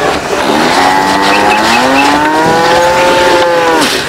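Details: Farm cattle jostling and competing over food give one long, drawn-out moo lasting about three seconds, slightly rising then falling at the end, rich and harmonic, over a steady rushing background noise.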